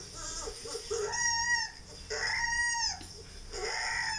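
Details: Husky puppy, Labradors nearby reacting, gives long drawn-out whines that rise then fall, about three sustained cries separated by short pauses, over a steady background hiss.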